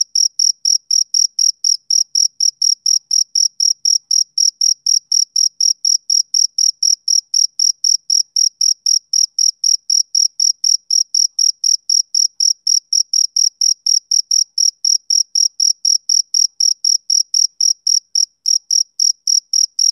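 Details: Male cricket chirping through a summer evening, a long unbroken run of sharp, thin pulses at roughly four per second, steady and unaccompanied by any other sound.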